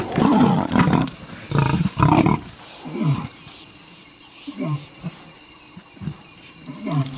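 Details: Big cat giving deep, loud growling roars in three heavy bursts, then quieter, shorter grunts spaced about a second apart.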